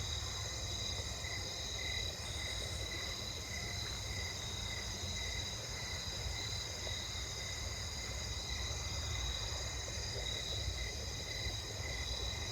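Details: Snowy tree crickets (Oecanthus fultoni) sing steady, rhythmic trills, calling slower than usual, within a dense night insect chorus on a late-August neighbourhood walk, with running water nearby.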